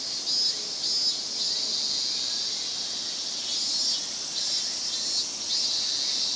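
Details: Many cicadas calling at once in a Japanese summer chorus: a steady, piercing high buzz with brief louder surges roughly every second, rising and falling over the constant wall of sound.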